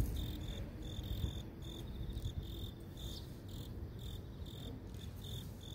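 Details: Urban grass insect chorus with bright, high-pitched pulsed chirps repeating about twice a second, standing clearly above a soft low city hum.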